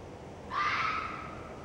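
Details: Red fox vixen giving a single harsh, hoarse scream about half a second long, a rasping cry with a slightly falling tone against a quiet background hiss.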